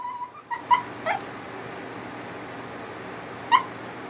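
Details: Italian Greyhound singing to its owner because it wants attention: short high whimpering whines with rising and falling notes in a quick burst at the start, then a lone yip near the end, over a steady low hum.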